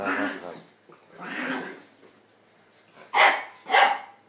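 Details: Two dogs playing, a two-year-old Chihuahua named Tony and an eight-week-old English Staffordshire pup named Dexter; broad growly yaps come at the start and middle, then two sharp high barks close together near the end.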